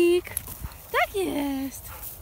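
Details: Pit bull named Dexter out on an individual walk; high, tonal whines with quick rising and falling sweeps, one long drawn-out descending whine near the end, over a low steady background rumble.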